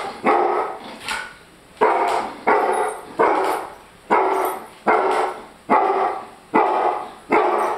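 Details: Male German Shorthaired Pointer barking when his food is too hot to eat; steady run of about nine loud, rich barks, roughly one each second, each with a short decaying tail.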